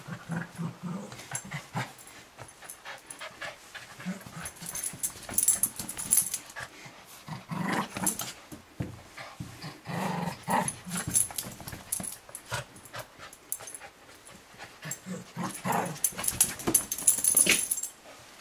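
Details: Nearly one-year-old Cavalier King Charles Spaniel Riley wrestles socks around the house, maybe still being worn, as brother Barkley watches; scattered low growls and panting breaths mix with heavy rustling, scraping and thumps.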